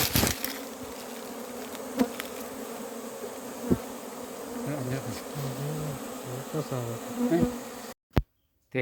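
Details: Honey bees gathered by hand and scooped into a hive box: a dense, continuous buzzing drone with a low tonal hum and brief rising pitches, broken by sharp clicks of handling before a sudden cut near the end.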